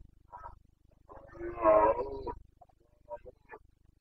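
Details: Red deer stag of the Carpathians giving its breeding-season roar (boncănit) in Bucovina's mountain forests on 29 September 2022; a brief grunt, then a drawn-out, rough, harmonic bellow, and a few short grunts, over a low rhythmic hum.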